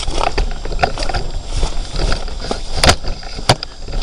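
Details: Low vehicle rumble and scraping noises with a few sharp knocks, no animal voices. No calls or songs stand out above the mechanical background.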